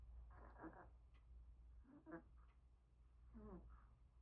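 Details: Pomeranian dog snoring while asleep, the first to fall asleep again today: three soft, rough, buzzing snores, each under a second, spaced about one and a half seconds apart over a steady low hum.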